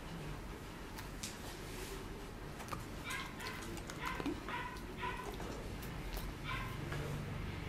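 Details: Goro, a Welsh Corgi waiting in an animal hospital waiting room for a vaccine injection; a run of short high whimpering yips from about three to five seconds, then another near six and a half, over steady room noise.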